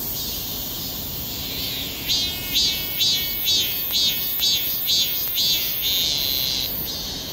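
A cicada sings a high, hissing buzz that swells into rhythmic pulses about twice a second.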